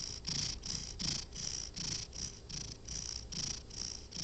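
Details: Domestic cat asleep and snoring, each breath a soft airy hiss over a faint low rumble, about ten even pulses in four seconds, no other sounds.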